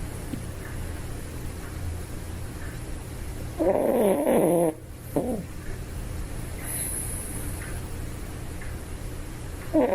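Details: A toy poodle dozing peacefully gives a single rough, whistling snore of about a second with a short snuffle after it, then quiet breathing and a low steady hum.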